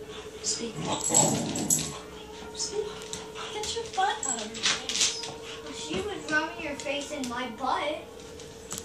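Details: Wheaten Terrier wanting to play: a series of high, wavering whines and whimpers, rising and falling in pitch, come in short bursts through the second half, while a person talks in the background.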